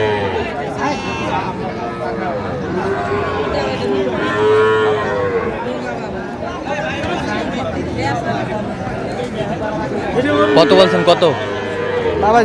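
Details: Cattle lowing at a busy market in Pabna, Bangladesh, where small bull and heifer calves, including Sahiwal, are traded. Several drawn-out, harmonic moos overlap and rise and fall, under constant crowd chatter and voices.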